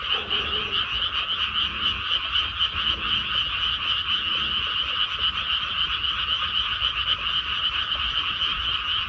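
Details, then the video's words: Frogs croaking in a rice paddy after planting: a dense, unbroken chorus of rapid pulsed croaks in two bright bands, about four per second, with a faint lower tone at the start. "개구리 우는 소리"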